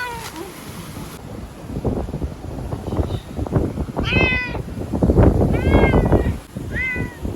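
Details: Chanta, a fearful ear-tipped community cat, sheltered in an Okinawa bathroom from Typhoon No. 10 in September 2020, cries out while struggling. Three loud, wavering meows come in the second half, over rumbling background noise.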